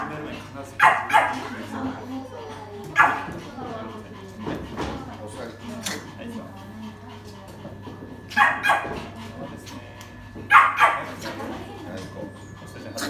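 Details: Harsh, sharp barking from a domineering poodle with a biting habit, in training. Single barks and short pairs come every few seconds, with people's voices continuing between them.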